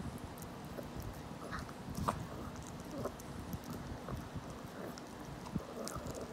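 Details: Rapid crisp crunches as a 17-year-old senior dog bites into a rabbit-ear treat, with one louder snap early on, over a faint constant hum.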